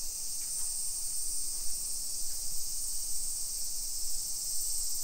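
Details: Summer cicadas in a modern hillside residential neighborhood of Nisshin city near Nagoya, Aichi, Japan, at 1 PM on 28 July 2021: a steady, unbroken high hiss-like drone fills the air, with soft low rumble beneath.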